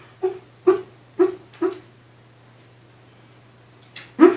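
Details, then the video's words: Dog dream-barking in its sleep (2015): four quick, soft, stifled woofs about half a second apart, a pause of two seconds, then a faint whimper and one louder woof at the end. A constant low hum runs underneath indoors. "Dream barking"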